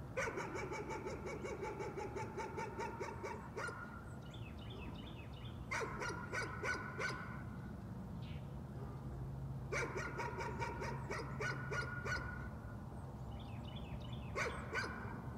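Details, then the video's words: Nuisance barking from a dog: rapid bursts of sharp, harmonic barks in runs of several seconds, broken by pauses, with faint bird chirps between bouts and a steady low rumble of background noise. "Nuisance barking again."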